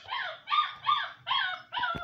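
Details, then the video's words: Seven-week-old Siberian Husky puppies give five short, high whining yips in quick succession, each bending down in pitch, with faint low rumble beneath. "7 weeks old HUSKY puppies"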